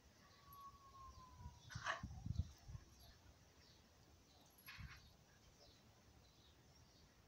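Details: A chihuahua and an old dog at play: a sharp bark near two seconds runs into a short, low, rough growl, then a softer burst follows, with a faint steady tone and background noise throughout.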